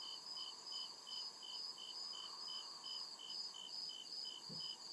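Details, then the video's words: Real crickets in a nighttime forest, chirping in an even pulsing rhythm, roughly twelve high chirps in five seconds above a sustained bright trill, with a short low thump just before the close. "CRICKET CHIRPING SOUND"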